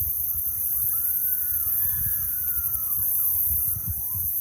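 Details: Coyotes screaming at night near a river that carries their calls, while coyotes in nearby woods answer back. Distant, wavering, quavering howls rise and fall in overlapping lines, over a constant high hiss and low thumps.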